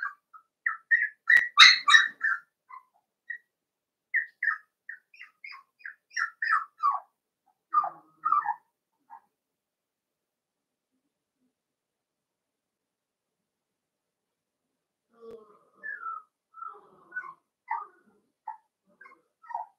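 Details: Cavalier King Charles Spaniel puppies playing in an indoor home puppy pen: bursts of high, squeaky whines and yelps in quick clusters for about nine seconds, a pause, then softer, thinner squeaks resume near the end.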